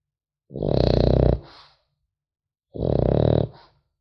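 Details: French Bulldog puppy sleeping and snoring: a pair of loud, grating, pulsing snores close together, each trailing off into a softer wheezy exhale, with silence between.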